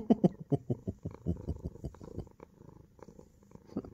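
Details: Pet Munchkin cat, a male, snuggled under its owner's armpit in a small room, wanting to sleep beside him: steady low rhythmic purring beats for about two seconds, then softer fading pulses.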